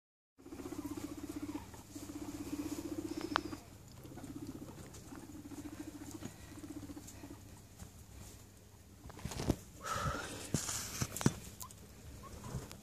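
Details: Pet guinea pigs in a newly enlarged cage as a new guinea pig joins the herd during the first week of introduction, the newcomer a little scared: low buzzing rumbles in bursts of about a second, then rustling and scratching in bedding.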